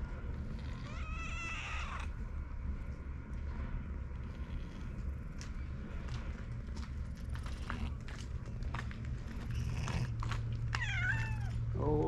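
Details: Stray cats on a cat island spending a calm time together; a wavering, drawn-out meow rises and falls near the start, and a second falling meow comes near the end, over a steady low engine-like hum.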